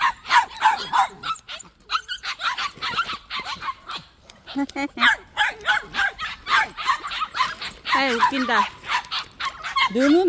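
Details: Sharp, quick barks and yips from white puppies kept at a plum orchard, several dogs calling over one another, mixed with a person talking and laughing in the foreground.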